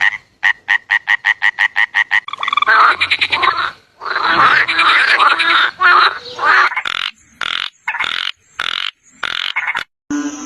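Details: Frog. A series of frog calls opens with evenly spaced, rapid clicking pulses. It gives way to a thick, rattling chorus of croaks and then to shorter, sharper bursts that change in pitch from one to the next.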